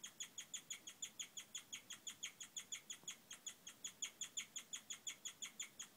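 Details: A female guinea pig (Cavia porcellus), clearly very happy at the arrival of her babies, chirps in a fast, steady series of high, bird-like squeaks; chirping is thought to express happiness and is most often heard in females.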